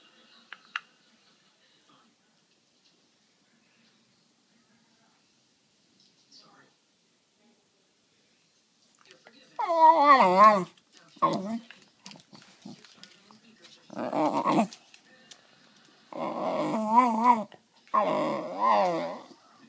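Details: Male West Highland White Terrier indoors asking for his treat: after a quiet stretch come several warbling, moaning, speech-like vocal bursts with quavering pitch, repeated in bouts over about ten seconds, in a small room.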